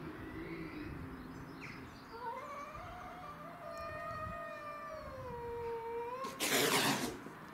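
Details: Domestic shorthair cats in a territorial standoff, with black-and-white Tom, white-and-ginger Mimi and a grey-and-white stray. A slow, quavering moan stretches for about four seconds before a sudden harsh burst of noise.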